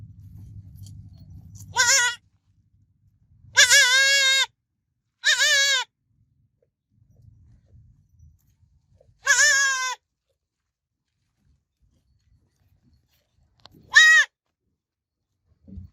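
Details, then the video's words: Baby goat calling with five high, tremulous bleats at uneven intervals across sixteen seconds, some brief and clipped, with quiet gaps and a little low rumble at the start. "Baby Goat Sounds Babbling Sound Effect Goat Kid Sounds Effect"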